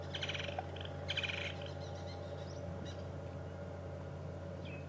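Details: A squirrel gives an alarm call during a morning safari drive at Djuma Game Reserve on 18 March 2015. Two quick bursts of rapid, high chattering chirps come near the start, over a steady low vehicle engine hum.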